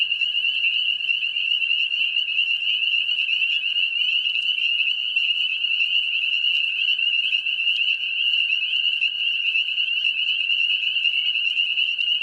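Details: A spring peeper chorus in mating season from wet lowlands near ponds. The frogs' shrill high peeps blend into an endless trilling ring for the whole stretch, with a faint lower drone below.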